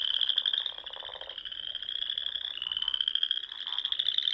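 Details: Nebraska Sandhills frogs singing on a spring evening: an unbroken high pulsed trill that dips briefly midway then resumes, backed by a softer rattling layer of lower calls.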